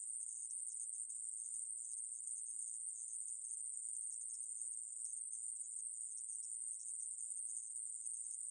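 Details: Continuous high-pitched buzzing trill of the Ae-maeburi conehead katydid, recorded in 2020, running evenly without pause and alone against silence.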